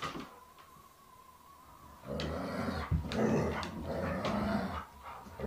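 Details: Alaskan Malamutes wrestling roughly with a Springer Spaniel, three against one; a quiet start with a faint high tone, then from about two seconds loud, rough growling and gruff bark-like grunts in quick succession.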